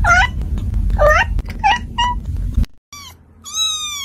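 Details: Domestic cat producing several quick, bright mews over a low indoor rumble, then a pause and one longer, clear meow, part of sounds intended to make a cat look for where they come from.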